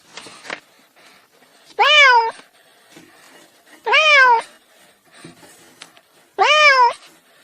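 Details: Domestic cat meowing: three loud, clear meows about two seconds apart, each rising then falling in pitch with rich harmonics, after a brief opening call; quiet between calls.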